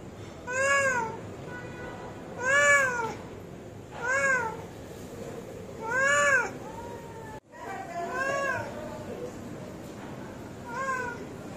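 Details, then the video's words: Hungry cat meowing insistently; six drawn-out, rising-then-falling meows roughly every two seconds over a steady background hum, with a brief click near the middle. "Hungry Cat Meowing"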